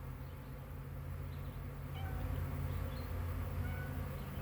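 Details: Swarming honey bees recorded May 9, 2023, so many bees that the recordist keeps back; a dense, deep hum that swells slightly louder midway and holds steady.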